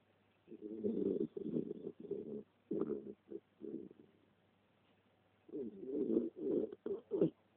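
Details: Three-year-old West Highland White Terrier snoring while asleep indoors: low, rough, fluttering snores in choppy bursts, each breath broken into several pulses, with a quiet gap between the two snoring spells.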